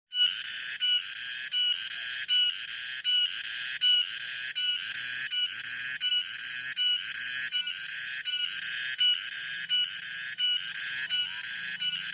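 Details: Cicadas drone in the afternoon in loud, shrill pulses, a harsh buzzing that swells and breaks in a steady repeating rhythm.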